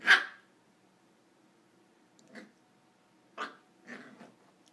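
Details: Corgi puppy at play on a couch lets out one loud, sharp bark. After a pause come softer huffing barks and grunts, all indoors with little background noise.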